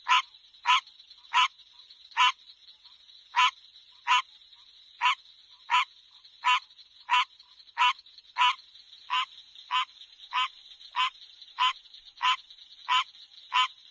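A frog gives short, sharp clicking calls, repeated about every second in an uneven rhythm.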